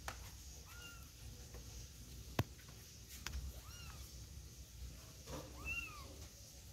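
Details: Domestic kitten with its mother, carried out and back inside; about four thin, high, arching meows spaced a second or more apart, with a sharp click and light handling noises beneath a low room hum.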